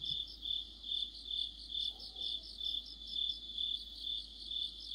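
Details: Autumn night chorus of crickets with other insects, a continuous high trilling band that swells and dips in regular beats roughly twice per second, with a brief faint lower sound midway.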